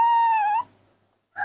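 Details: Hand-reared baby monkey crying out for its morning milk, indoors: a single clear whistled note holding level for about half a second before a slight dip and rise, then a brief start of another cry.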